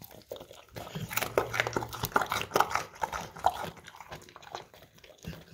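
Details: English Cream Golden Retriever biting into crunchy carrots from a bowl, Samsung Galaxy S10e recording; a loud flurry of crisp crunches in the middle seconds, softer chewing before and after.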